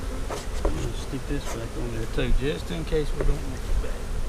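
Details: Honey bees buzzing around an opened hive during an April 15, 2017 inspection of a split made March 4. Droning tones waver up and down in pitch as bees fly past, with low rumble and handling noise beneath.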